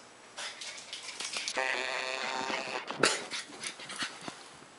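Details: Border Collie giving a drawn-out, tonal whine that holds steady for about a second, with breathy huffs before it and a sharp click and more panting after.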